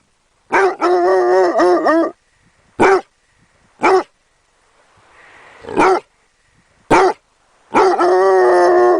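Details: Basset Hound puppy opening with a quavering, broken howl, then single short barks a second apart, and ending on another long sustained howl.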